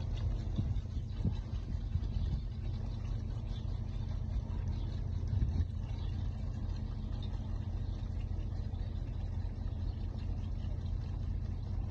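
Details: A steady low engine rumble, like a vehicle idling, fills the recording, with no animal voice.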